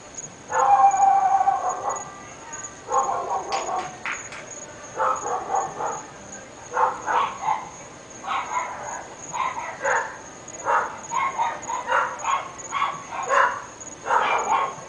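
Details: Three dogs barking at a home in North Bay Village, a noise neighbours hear all day: near-continuous volleys of loud barks, repeated every second or so with brief gaps, over a steady high-pitched background tone.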